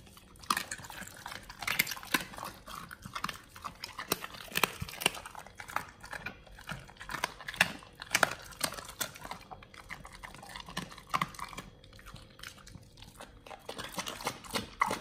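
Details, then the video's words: Pit Bulls on a raw diet crunch through frog legs, soft shell crab and duck feet: steady wet chomping and crackling bone-like snaps over about fifteen seconds, no vocal calls. "Pit Bulls eat RAW Frog leg&Soft shell crab combo [ASMR] BARF MUKBANG"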